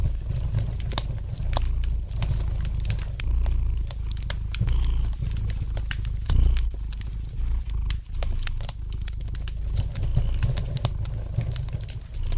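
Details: A domestic cat's gentle purr forms a deep, even rumble under a lightly crackling fireplace fire; the purr rises and falls slightly as scattered clicking snaps punctuate it.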